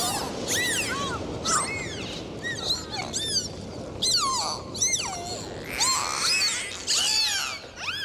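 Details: Dolphins swimming and playing in the sea, a chorus of many overlapping high whistles that arch and sweep up and down, some with stacked harmonics, coming in bursts over a steady underwater hiss.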